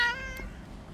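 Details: Street cat giving a single short, bright meow that fades quickly, with a faint tap and quiet outdoor background.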